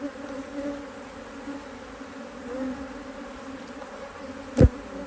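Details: Steady low hum of a strong honey bee colony in a Hive IQ hive, Australia, mid-autumn 2023, during good weather as a box is added; continuous even droning ending in a single sharp click.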